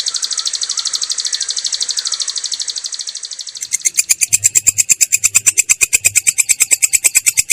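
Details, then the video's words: Katydid (belalang kecek) singing in the ngerol style, a clear but rough sound: a rapid, high-pitched buzzy pulsed trill that about halfway through turns into louder, slightly slower, sharply repeated pulses. "belalang kecek ngerol!!! suara jernih kasar"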